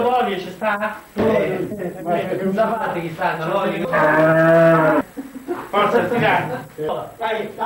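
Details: Cattle during the birth of a calf: a drawn-out, low, steady moo lasting about a second midway, surrounded by men's voices talking and calling out, with a few shorter grunting sounds.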